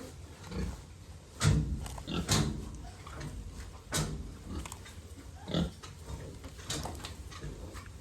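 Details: Pregnant sow about two months along, grunting low and softly in short irregular bursts, roughly once a second, with faint clattering and a man's voice in Bengali nearby.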